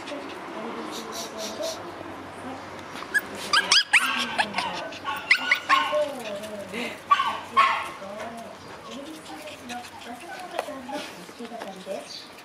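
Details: A pack of Shiba Inu dogs as the weather turns hot: repeated short whimpers and yips, some sliding up and down in pitch, with occasional sharper bark-like bursts, over a steady low hum and a few clicks.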